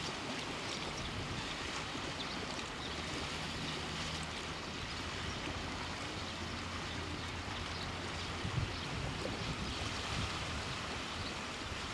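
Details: Steady broadband rush of surf and wind with a faint low rumble, and no animal calls stand out.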